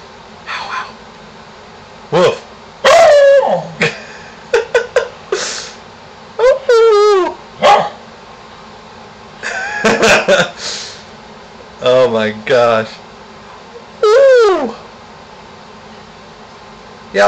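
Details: Pet dog barking and howling at a contractor in the neighborhood, urged on by its owner: short sharp barks mixed with drawn-out, wavering howls in irregular bursts, with a person talking and laughing between them.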